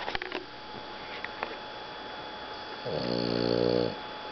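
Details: Napping after playing in the hot sun, Rocket the Boston Terrier lets out a steady rattling snore about a second long with rapid fluttering pulses, preceded by a few faint clicks and taps.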